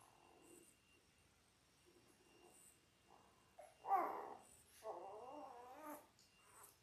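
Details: Ten-day-old Labrador Retriever puppies from a litter of six born January 18, 2022, on an indoor puppy cam: faint soft whimpers, then a louder squealing whine and a long wavering, quavering whimper, with quiet rustling between.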